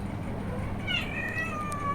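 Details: Mother cat with her kittens as they explore outdoors: one drawn-out meow that starts high and slides gently downward, lasting about a second, over a low rumbling background.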